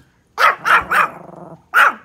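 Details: Pomeranian outdoors barking at deer: three rapid, sharp yapping barks, a short pause, then one more bark.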